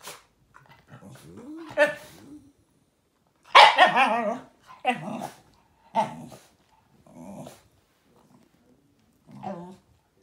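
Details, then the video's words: Shiba Inu vocalizing indoors in a series of short, throaty, grumbling bursts, the loudest near the middle rising into a strained, wavering yowl, with quieter growly mutters spaced between them. "Shiba Inu communication"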